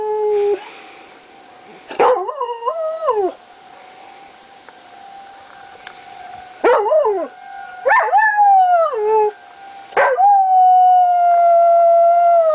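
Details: Pet dog Lazarus howling at the monthly tornado sirens on July 1, 2009: short rising-and-falling howls in bursts, ending in one long sustained howl, with the steady siren whine running throughout.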